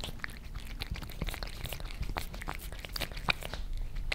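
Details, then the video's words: Close indoor recording in Germany of a Maine Coon and a British Shorthair tonguing creamy treats off glass: fast sticky licks and smacks, many per second, bright crisp edges over a low hum. "Cats licking creamy treats on glass table"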